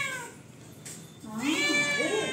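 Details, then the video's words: Domestic cat demanding food: a fading meow at the start, a short pause, then a louder wavering meow that bends up and down in pitch before tailing off. "Rowdy cat 🐈 on Demand..."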